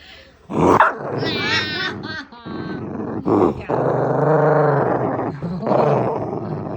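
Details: Shiba Inu dog growling with a rumbling, engine-like sound; long sustained low harmonic growl with rising and falling tone, broken by short sharper vocal bursts, some background music.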